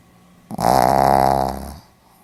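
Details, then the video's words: A Pomeranian snores in its sleep: a short catch, then one long fluttering, rasping snore of about 1.2 seconds that fades out gradually in a quiet room. "ポメラニアン 犬のいびき"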